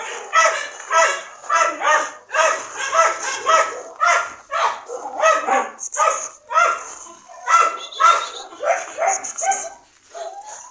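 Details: Short, bright dog barks come in a rhythmic series of nearly two per second, with some yelping notes. The calling thins toward the end.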